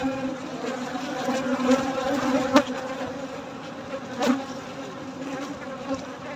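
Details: Night honey harvest with honey bees giving a constant low, rich buzzing drone, interrupted twice by short sharp clicks.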